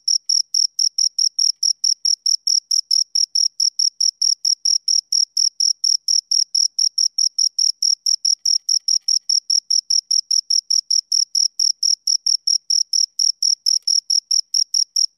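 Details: Steady chirping from two crickets, brief high-pitched pulses repeating around four times a second without pause, every beat at the same strength, a thin upper overtone riding along, background otherwise silent.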